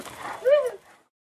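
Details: Walter, a 9-month-old Boxer puppy, yips for joy just after being let out of his kennel when his family comes home: one short high yip that rises then falls, preceded by a soft murmur of background noise.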